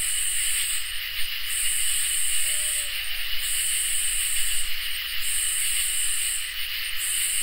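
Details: Crickets and katydids singing together on a summer night: a steady high shrill drone runs underneath while a louder, higher buzzing swells in bursts of one to two seconds, broken by short pauses, with a faint brief low tone midway.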